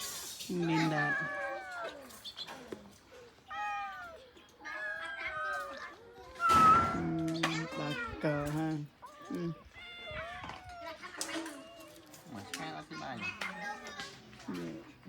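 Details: Several abandoned cats give repeated short, bent meows throughout, some rising and falling, mixed with frequent human speech nearby.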